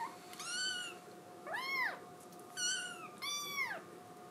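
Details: Scottish Fold kitten wanting to be let outdoors, crying inside; four clear drawn-out meows in quick succession, some flat and some arching downward, with bright harmonics over a faint steady hum.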